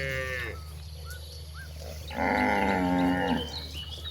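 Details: Cow on its way to a vast pasture gives one full, rich moo lasting just over a second, preceded by faint bird chirps and a mooing tail at the start, over a constant low-pitched hum.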